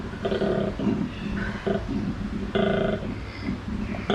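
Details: Koala bellowing at a wildlife park in Port Douglas, Queensland, Australia: rasping, snore-like grunts with a deep buzzy tone, in short pulses that alternate between longer droning phrases and quick catches of breath.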